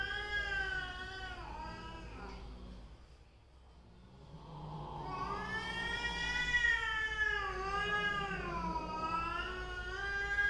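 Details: Domestic cats, a mother and her daughter, quarrelling: long drawn-out yowls that waver up and down in pitch, a quieter dip midway, then a louder rising and falling wail.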